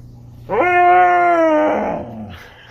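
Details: A female Siberian husky, asked to give a roar, lets out a drawn-out, tuneful roar while guarding her toys.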